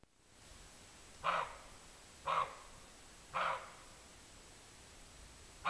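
A roe deer gives short, hoarse barks, one roughly every second, against a quiet background.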